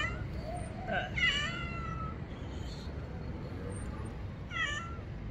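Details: Kitten scared of the bathroom cries out: a couple of quick wavering meows close together, then a falling meow after a pause, against a noisy, rumbling background.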